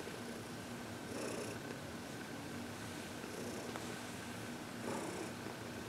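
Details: A happy 14-year-old senior domestic cat, adopted from a city shelter, relaxes indoors during massage and reiki. A soft, steady purr sits under a constant hiss, with breathy swells rising every few seconds.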